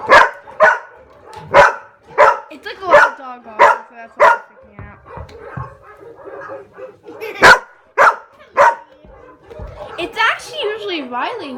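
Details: Several pet dogs stirred up by barking sound effects bark in rapid, uneven volleys, nearly two a second at first, then a pause and more barks, with a woman speaking over the end.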